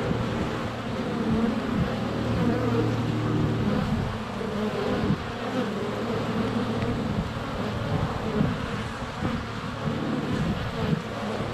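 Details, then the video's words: Many honey bees buzzing in flight at the hive entrance, GoPro held under a foot away on a sunny February day; a thick continuous hum with wavering pitches and small bumps as bees pass close. "Honey Bees - ambient video and audio"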